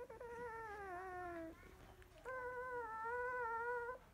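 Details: Newborn field-line Labrador Retriever, 16 days old, drowsy after nursing; two sustained whines, the first sliding slowly downward, the second held steady and slightly rising, with a short silent break between.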